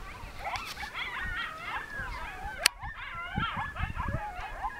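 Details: A pack of coyotes sings in the mountains of northern New Mexico on an evening as a monsoon storm starts to roll in: quavering howls and sharp yips sliding and crossing over a low wind rumble, with one sharp click.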